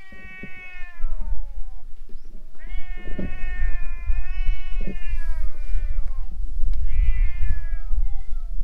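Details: Stray cats fighting in front of a boat before fleeing: long drawn-out yowls with strong harmonics, wavering and slowly falling, several overlapping bouts with short gaps, low rumbling background noise throughout.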